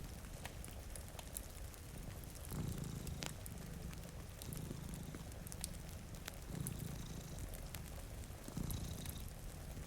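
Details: Sleeping cats by a wet window give a soft, continuous purr that swells four times in about ten seconds, accompanied by popping fireplace crackles and faint rain.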